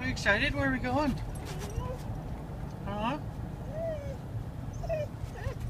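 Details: Excited dog heading to the beach to play with her friends, giving high, wavering whines that rise and fall in short bursts, mixed with a person's talking.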